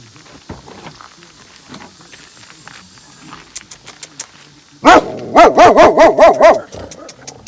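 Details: Female German Shepherd dog, surrendered for being aggressive and known to have bitten people, barking from her crate: a quiet opening, then a burst of about eight loud, rapid, evenly spaced harsh barks in the second half.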